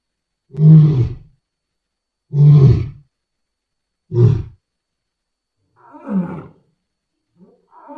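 A lion gives deep, rumbling roars in a slow series, each lasting under a second.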